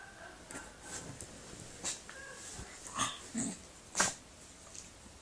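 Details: A pet Staffordshire bull terrier sneezing indoors, a series of short sharp snorting bursts about every second, the loudest near the end, with soft sniffing breaths between.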